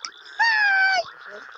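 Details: Frog at night in Uganda gives one clear call: a level, rich, slightly nasal tone held about half a second before a brief downward slur, with faint hum and softer chatter around it.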